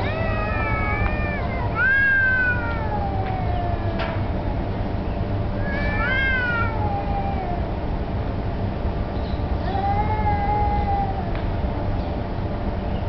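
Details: Two street cats, perhaps disputing territory or mating, one black cat turning submissive: long rising-and-falling yowls, two strong arching howls near the start and middle and a flatter drawn-out wail later, over constant low-frequency rumble.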